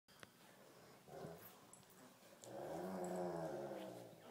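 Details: Great Pyrenees and Tibetan Mastiff dogs playing tug of war indoors. A short growl comes first, then a longer, rumbling, harmonic growl that builds and holds for about two seconds.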